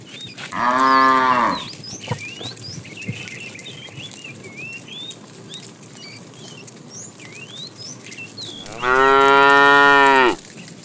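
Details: Young calves among a herd of cows being driven out in the morning to look for food give two steady, drawn-out moos about eight seconds apart, while small birds twitter constantly in between.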